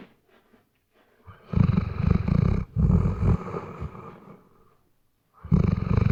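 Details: Snoring Weimaraner during sleep, RODE NTG3B microphone: soft breathing gives way to pulsing, guttural snores lasting a few seconds that fade out, before another loud snore starts at the end.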